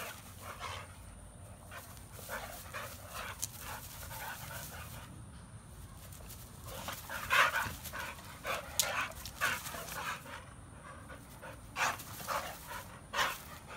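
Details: American Bully dog kept as a pet alongside a pitbull, heard panting in bursts of short airy huffs, some louder and sharper near the end, over a low background hum.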